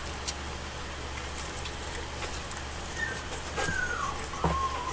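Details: Alaskan Malamute puppies from Macy and Jack's summer 2014 litter, two and a half weeks old, nursing; thin, high whimpers slide up and down in the final two seconds over a steady low hum and hiss.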